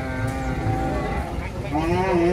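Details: Bulls being unloaded from a truck in Indonesia, rampaging; a drawn-out bovine moo rises in pitch toward the end, over steady engine rumble and a man talking.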